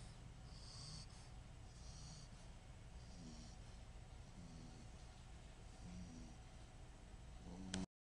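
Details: Fogey, a pet dog, snoring while he dreams: soft, rhythmic breathy snores with faint hissing whistles, one about every one and a half seconds over a steady low rumble, quiet throughout.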